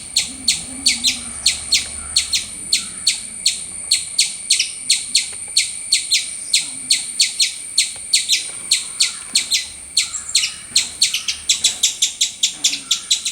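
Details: Loud squirrel chirping: a long run of bright, shrill chirps, first spaced roughly twice a second, then quickening into a faster, more insistent burst near the end, with little other sound.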